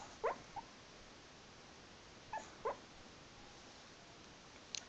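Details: While dreaming, Jerry the dog makes brief muffled whimpers in his sleep, with a household companion dog nearby: a yelp-like squeak at the outset, a pair of soft whines midway, and faint ticks at the end.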